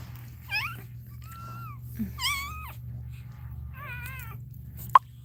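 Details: Cane Corso crying indoors while Cashmere is in labour: a run of high, wavering whines, some rising then falling, several short cries spread over five seconds, a steady low hum beneath and one sharp click near the end.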